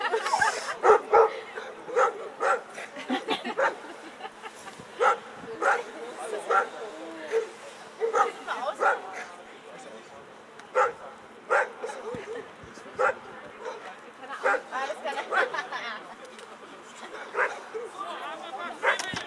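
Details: Eleven-year-old American Staffordshire Terrier at a German VPG protection dog exhibition, as the helper throws away the bite sleeve. Loud, sharp barks repeat in bursts about once a second. A crowd murmurs and a loudspeaker voice talks underneath.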